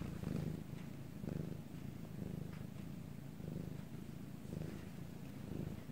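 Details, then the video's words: Bangul, a pet cat in Korea, purring at night in a quiet room: deep, vibrating rumble rising and falling with each breath, pulses about once a second, soft and continuous with little else heard. "방울씨의 2시간 골골송"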